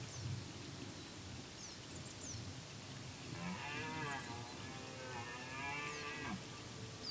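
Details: Red deer in the wild during the rut, with activity at its peak: a drawn-out, harmonic, moaning bellow rises and falls from about 3.5 to 6 seconds over a steady hiss. Brief high bird chirps are scattered throughout.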